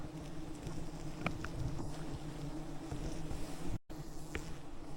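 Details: Thousands of wild bees swarming a giant honeycomb high in the rainforest canopy as honey hunters use smoke to calm them; a steady low droning hum with layered tones, brief clicks and knocks, and a short dropout near the end.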